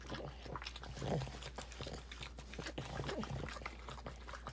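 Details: Boston Terrier female in labor indoors, delivering nine purebred puppies over five hours with intense contractions; two brief low whimpering sounds with falling pitch come amid steady wet licking, clicking and rustling noises.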